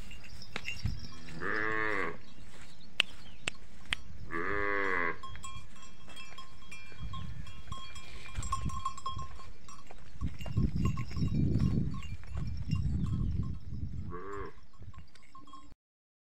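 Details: A cow lowing, with two long harmonic moos of about a second each near the start and a shorter one near the end. A steady hum, a thin bell-like tone and low rumbling noise run throughout.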